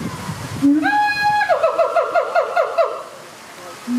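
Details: At ZooTampa in Tampa, Florida, siamangs Hutan and Sensei call as a family duet that strengthens their pair bond: one long rising whoop, then a rapid rattle of short barking notes slowing and fading away.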